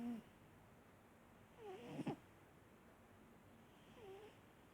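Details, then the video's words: Marsik the cat snores softly: brief whistling nasal squeaks on each breath, one louder raspy snort in the middle, quiet room otherwise. "Кот Марсик храпит"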